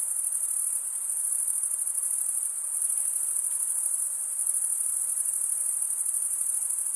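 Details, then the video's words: Chirping of crickets, sound produced by stridulation as a wing scrapes the serrated vein of the opposite wing; a continuous piercing high trill with slight rhythmic shimmer and gentle swells in loudness, nothing else audible. "cricket sound"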